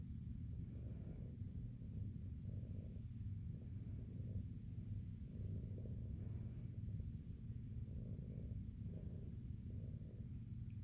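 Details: Female shelter cat Jiji, big and fluffy, back at SBACC, keeps up a low, pulsing purr while being handled over her matted coat. The rumble is constant, with rhythmic swells and quiet background.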